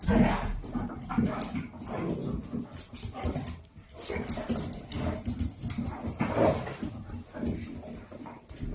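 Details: Two-month-old Dalmatian puppies romp with their mother and grandmother in a wild game before going to sleep; dense scuffling commotion full of short whimpers and yelps, with a human voice now and then.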